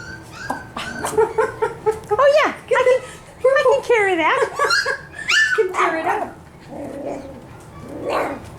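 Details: Honey's litter of five-week-old F1b Cavapoo puppies at a licensed commercial kennel in Carthage, Missouri: high, wavering whines and yelps that rise and fall in quick bursts, several overlapping, with short pauses between outbursts indoors.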